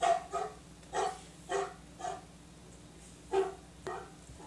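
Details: Domestic dog barking in short, sharp, repeated bursts, about seven barks in under five seconds with a brief pause before the last pair; the bark is described as sounding like a pitbull's.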